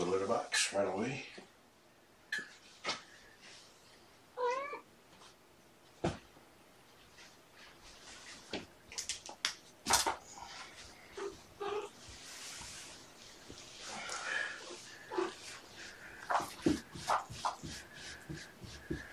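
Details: Domestic cats: mother Seraphina, 1.5 years old, with her four young kittens at Purrfect Pals, indoors during afternoon play on 2018-11-16. Wavering meows come through scattered bumps and clatter, with a person talking much of the time.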